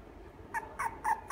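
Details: Toy poodle at a pet shop in Japan, letting out four short, clear, high-pitched yaps in quick succession, each sharp and tonal, evenly spaced about a quarter second apart.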